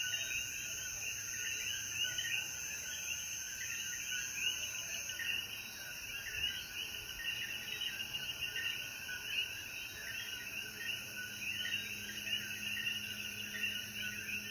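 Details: Evening after rain in Jayuya, Puerto Rico: a sustained wall of coquí frog calls, countless overlapping chirps repeating without pause, backed by an even high-pitched insect hiss.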